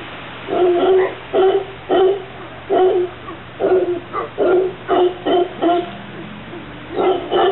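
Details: A group of mantled howler monkeys visiting a garden in Santa Cruz, Costa Rica, gives deep, hoarse, barking grunts in a rapid, pulsing series.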